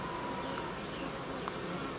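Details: Honey bees in an apiary as old queens are swapped for young ones. A dense, even buzz with a low humming tone persists, joined by brief higher flicks and a faint click midway.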